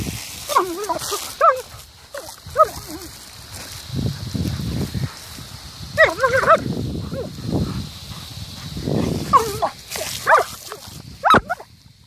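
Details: German Shepherd playing outdoors with a water jet, yelping and barking in short bursts every second or two, mixed with hissing, splashing water and some talking.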